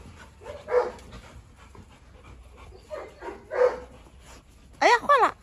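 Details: Three dogs at a farm, a Presa Canario, a Rottweiler and a Staffordshire terrier, squabbling; a few separate gruff barks are followed by a sharp high yelp near the end.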